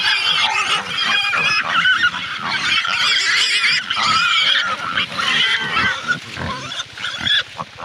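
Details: Loud, piercing pig squeals in a near-continuous stream of harsh, wavering shrieks, briefly dipping before resuming, several voices seemingly overlapping.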